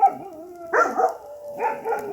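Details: Campers' dogs at a camp at night give tonal, whining cries that bend up and down, broken by two louder yelping bursts, with a sharp yip at the very start.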